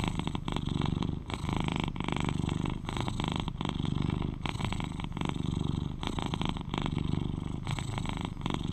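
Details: Male British Shorthair cat, aged 11, purring loudly beside the recorder: a dense, throaty rumble alternating between inhale and exhale phases about every one to two seconds.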